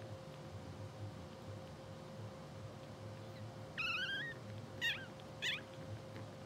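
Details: Two-hour-old English Bulldog puppies, blue sable litter, sleeping and twitching; after a quiet stretch, one wavering high squeak followed by two brief sharp chirps, with a constant low hum throughout.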